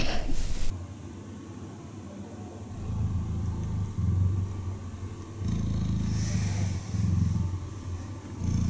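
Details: Cheetah purring while cuddling: after a brief loud rustle at the start, a soft, deep, rapidly pulsing rumble builds, swelling louder in alternating stretches as the cat breathes in and out.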